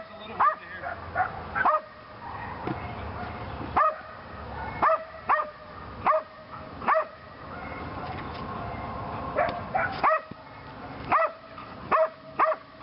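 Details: Lily, a female Belgian Malinois in PSA bite training on leg sleeves, her second time on them: sharp harmonic barks in uneven bursts, some doubled, across about thirteen seconds over low background rumble.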